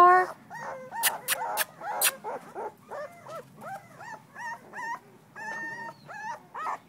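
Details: Two-week-old female blue-nosed American Pit Bull Terrier puppy, filmed 21 December 2011, whines in short bending squeaks repeated about twice a second, with a few sharp clattering noises early on.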